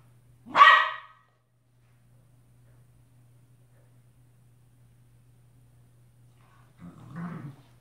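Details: A Shiba Inu at play gives one sharp, loud bark, then a softer, rougher bark a few seconds later.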